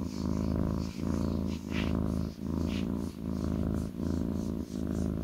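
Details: Lap-resting kitten gives a loud, deep purr, a rough rumbling drone pulsing with each breath about once per second, with a couple of soft higher rustles.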